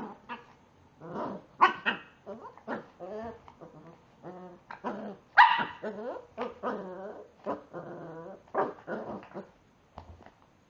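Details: Staffordshire Bull Terrier pup, faced with a frozen raspberry, makes a long run of wavering, whiny grumbles and growly yelps, each lasting under a second, with louder yips near the second and sixth seconds.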